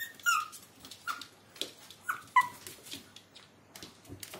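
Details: High-pitched yelps from a Maltese puppy: four short, piping, downslurred squeaks spaced about a second apart. Faint clicks and rustles come between them.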